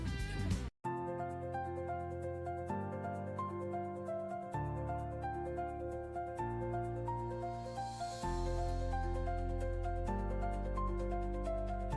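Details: Gentle instrumental music with steady sustained chords and no animal sounds.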